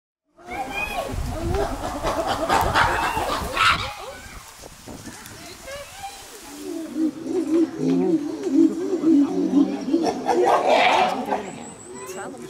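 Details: Chimpanzees at Chester Zoo amid scuffling and social communication: a noisy burst of calls first, then a run of low, repeated tonal hoots rising in intensity over several seconds, with splashing and rustling in the enclosure.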